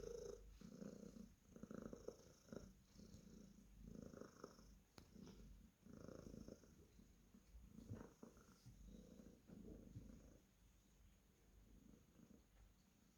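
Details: Purring Cornish Rex cat being petted: a continuous low, throaty rumble in regular rhythmic pulses about every second, steady throughout, with a few faint clicks and rustles.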